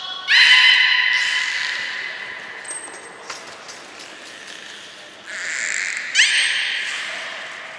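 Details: Captive belugas Hodoi, Taanya and Mirai during a training session at Port of Nagoya Public Aquarium, 1 November 2020. A loud, nasal, harmonic squeal opens the clip, followed by a brief high steady whistle tone, then buzzy broadband bursts in the second half.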